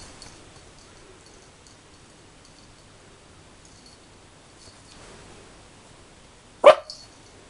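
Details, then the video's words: Rolo, a 13-week-old puppy, barks at his own reflection in a mirror: a long quiet stretch with faint rustling, then one sharp, short yap near the end. "Rolo barking at himself in the mirror"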